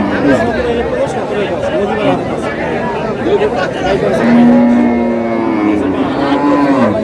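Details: Cow at the Aftabganj cattle haat, 25 July, among lean, bony cows offered for sale; a long, low drawn-out moo in the second half, over constant crowd chatter and bargaining voices.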